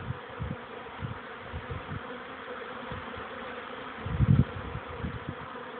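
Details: Honey bees making orientation flights, young bees circling outside the hive on 13 May 2013 at 14:04, a warmer afternoon after several cool, rainy days; a steady, dense droning hum runs throughout, broken by low thumping gusts of wind.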